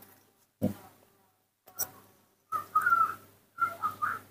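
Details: Baby monkey kept at home, calling in the morning when it wants to drink milk; two bursts of thin, high whistled squeaks wavering up and down, preceded by a couple of soft knocks in a quiet room.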